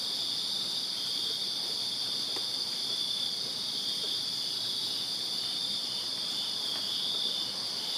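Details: Summer-night cricket chorus from a backyard in Virginia: constant bright, high-pitched ringing from many insects blended into one level drone, with occasional faint tapping noises below.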